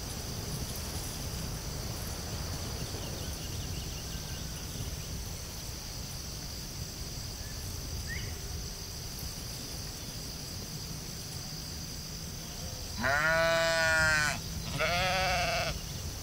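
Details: Sheep in a field giving two wavering, quivering bleats near the end, a longer one followed by a shorter one, over a steady high insect hum and low rumbling background noise.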